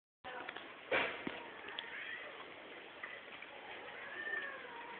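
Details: Cats mating in a group at Geraki, Crete, giving drawn-out, wavering yowls at mid pitch, with a loud broadband thump near the start and steady background hiss throughout.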